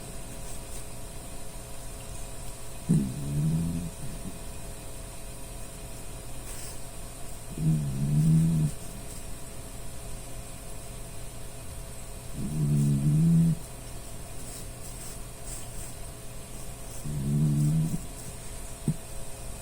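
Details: Dachshund named Puchi snoring while asleep, which the dog often does; four low, rumbling snores about every five seconds over a steady background hum.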